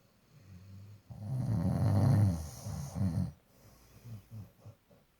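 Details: Labrador Retriever snoring: one long, deep, rumbling snore swelling for about two seconds, then fading into fainter, shorter breathing snorts.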